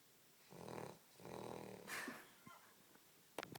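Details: Sleeping dog named Rocky snoring indoors: two rough, buzzy snores in quick succession, then a brief higher squeak and a few sharp clicks near the end.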